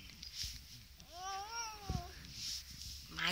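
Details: Male Russian Blue cat, grumpy and annoyed, on antibiotics and possibly in pain, gives one drawn-out meow that rises and then falls over about a second, while a woman coaxes him in an affectionate voice.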